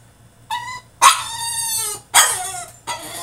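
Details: French Bulldog throwing a tantrum in his cage: loud, harmonic whining yelps and barks, four outbursts in about three seconds, each strained and drawn out, with a steady low hum underneath.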